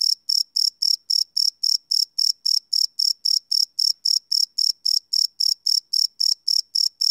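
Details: Crickets chirping at night, recorded live with a Sony PCM D100 field recorder: a single high, steady pulse repeated about four times per second in an even, unbroken rhythm, with no other sounds.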